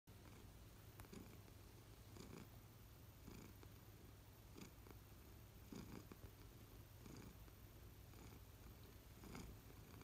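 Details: Adult American Shorthair cat purring indoors at home, one of three household cats; a low, steady rumble runs throughout with soft breathy pulses roughly every second in a quiet room.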